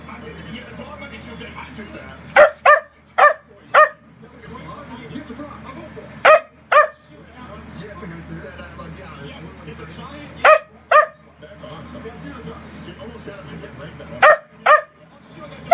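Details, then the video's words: Mic-Dog, a bossy dachshund who dislikes anyone leaving or getting up, lets out short sharp barks in pairs and clusters separated by pauses, with a woman talking quietly in the background. "Wiener dog has a lot to say"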